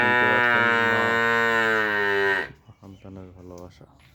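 A calf bawls in one long, loud, slightly falling moo, calling for its mother.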